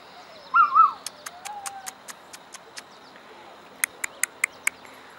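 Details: Rosebud, a female Standard Poodle puppy, whining to be let back into the poodle play yard: a short, high, wavering two-part whimper, then a fainter lower drawn-out whine, followed by a run of sharp clicking taps.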